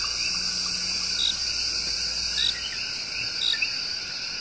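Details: In the El Yunque Rainforest of Puerto Rico, the tiny, loud coqui frog serenades with its love song: a few crisp high chirps and rising slurred notes over a thick wall of insect buzzing.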